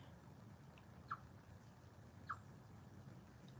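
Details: Chipmunk known as Chippy, a visitor seen sharing peacock nuts with a black squirrel, giving two short, sharp mid-pitched broop notes about a second apart over a low, steady background rumble.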